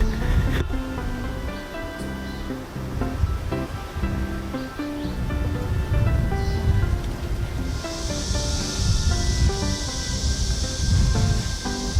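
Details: Steady music with repeated tones plays throughout, and a broad hiss like surf joins in the final third.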